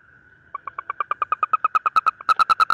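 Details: Asian common toad; mating call; male calling to attract a mate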